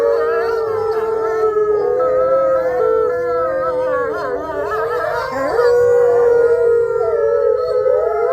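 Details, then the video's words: Dense group howl from gray wolves at Wolf Hollow's main enclosure, with neighboring enclosures also heard: many tangled, quavering voices weaving above a steady long note, a clear higher howl entering midway and holding to the end. "Howls With The Main Wolf Pack"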